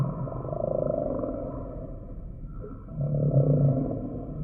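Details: Humpback whale song sample: low, gravelly pulsed moans, the first trailing off into a faint wavering tone, then a second louder rasping groan rising near the end.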